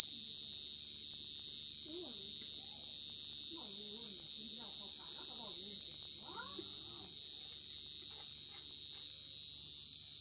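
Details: Cricket singing a constant, sharp, high-pitched trill without gaps, with faint low murmuring sounds in the background.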